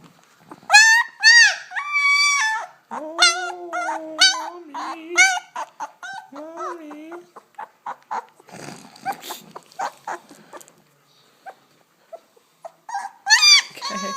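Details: Squealing two-week-old German Shepherd pup from a ten-puppy litter in Chestermere, Alberta, born August 2012: a run of loud, wavering yelps, then lower drawn-out whines, quiet shuffling and a final burst of squeals, with a woman speaking softly.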